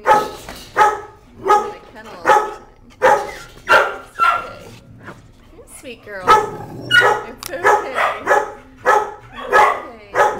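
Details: Energetic female dog letting out repeated short barks, some in quick pairs, over a stretch of about ten seconds, with a woman's voice comforting her.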